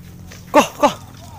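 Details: Hunting dog released to chase wild boar through scrub during a boar hunt; two short, sharp barks about a third of a second apart, with low rustling and faint background noise.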